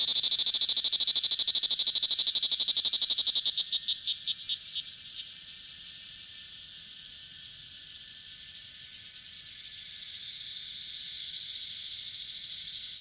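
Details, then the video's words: Loud, rapid pulsed trill of a Tanna cicada at 1000 m in Taitung, Taiwan, slowing into spaced clicks and ending after about five seconds, followed by a softer continuous high insect hum. "未知暮蟬2 蟬鳴聲"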